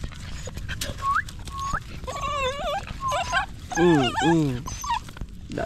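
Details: Stray puppy held in arms, crying for help: short rising whines give way to wavering, quivering cries and a pair of lower falling wails, over a steady background rumble.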